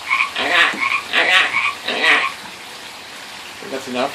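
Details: Pacific tree frog croaking by a pond: three loud raspy two-part notes in quick succession, a quiet gap, then a softer croak at the end.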